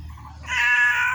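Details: Pet cat, said to have a cold that will not clear up, at play: one short, bright meow holds steady after a moment of low background hum.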